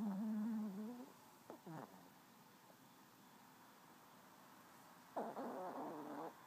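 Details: Yaeger the chihuahua snoring away indoors: a whistly, harmonic snore that dips and rises for about a second, then two brief raspy breaths, a long quiet pause, and a final buzzy, rattling snore near the end.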